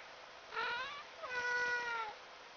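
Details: Pet cat indoors, one of three rescue cats (a tuxedo, a black and a tabby) kept in a small shipping container; two harmonic meows, a short one followed by a longer, level, drawn-out one, over a quiet background.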